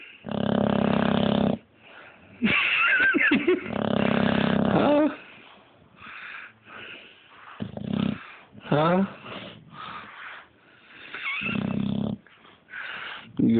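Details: Boxer dog sleeping and dreaming, giving loud rasping snore-like breaths in long bursts with pauses, some whimpering rising tones between them; a person speaks softly to him.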